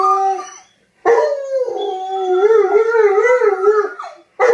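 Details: Male dogs calling to a female on her second day of heat, the old dog teaching the young dog to howl: a brief howl, a pause, then a long wavering duet howl that trails off before another starts.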